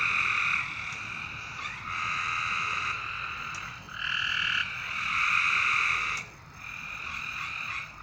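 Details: Frogs calling at night: long, steady buzzing trills lasting one to two seconds each, coming in overlapping bouts with brief dips between them, over a soft background hiss.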